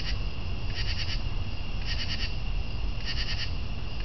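A northern true katydid gives raspy, pulsed bursts in short groups, repeated about once a second.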